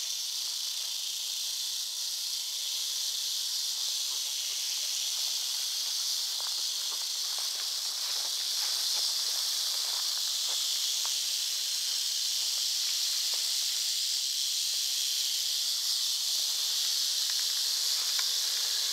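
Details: North Florida eastern diamondback rattlesnake keeps up a long, steady rattle, a high, buzzing hiss that grows slightly louder partway through, with occasional faint rustling and taps.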